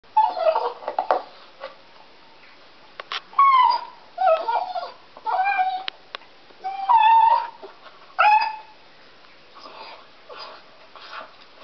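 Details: Deaf pet dog crying while biting on a stick indoors: short, high, whiny cries with wavering pitch, several falling or bending at the end, coming in bursts separated by brief pauses and soft chewing noises.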